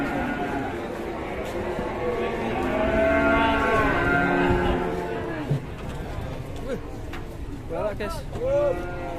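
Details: Enraged, raging cattle on an Indonesian farm give a long, loud, harmonic bellowing moo that swells for several seconds and then fades. Shorter, higher calls and faint human voices follow near the end.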